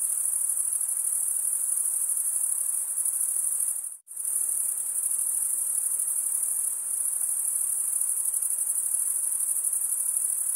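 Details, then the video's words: Male crickets stridulating, rubbing one wing's toothed vein against the other, make a steady high-pitched trilling drone that holds without pause except for one brief silent break near four seconds; no other sounds intrude. "Most relaxing cricket sound"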